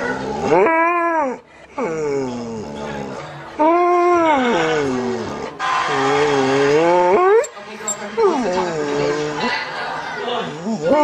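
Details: Pet dog talking to its owner in drawn-out, wavering howl-like phrases that rise and fall in pitch, about five separate utterances with short gaps between them, set against background music.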